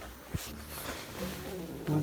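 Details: Cruz, a 13-week-old English Bulldog puppy, making funny noises at bedtime: short, low, tonal whining sounds, strongest in a brief burst at the end, mixed with a person speaking softly nearby.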